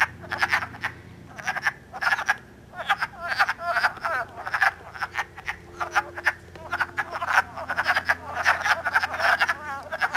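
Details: Breeding wood frogs in Elmer, New Jersey, recorded on an iPod on March 3 during early spring mating; steady run of raspy chuckling croaks, many overlapping callers, brief lull around the sixth second.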